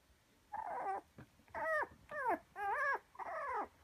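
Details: Red Toy Poodle puppy, 48 days old, in Kumamoto, Japan, recorded on October 16: five high, whining whimpers, each about half a second, arched and wavering in pitch, in quick succession in a quiet indoor space.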